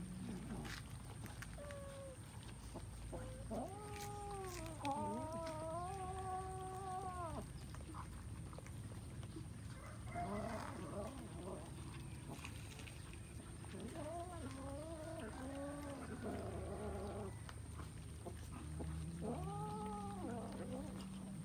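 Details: Kittens eating rice give drawn-out, wavering meows in bursts of one to three seconds, separated by quieter stretches of low rumbling background noise and faint clicks.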